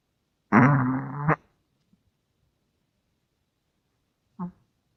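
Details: Russian Toy Terrier asleep, giving a loud buzzing snore of nearly a second, then quiet, and a brief softer snort a few seconds later.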